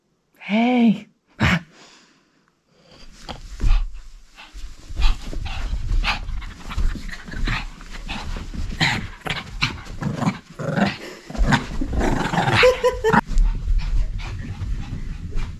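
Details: A pet dog at play, described as crazy, gives a short harmonic whine-like yelp, then settles into long stretches of fast, rough, breathy panting over low rumbling noise, with a brief high whimper near the end.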